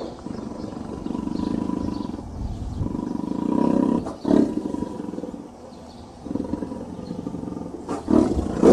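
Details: Tiger giving low, rumbling growls and moaning roars, some long and drawn out, with sudden louder bursts near the middle and the end of the sequence.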